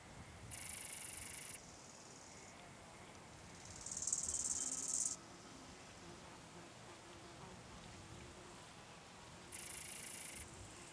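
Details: Small alpine bush-cricket (Anonconotus alpinus) at Boltigen, Switzerland, 6 September 2023: two brief, very high hissing bursts of about a second each, several seconds apart, with a softer buzzy phrase between them over a quiet background.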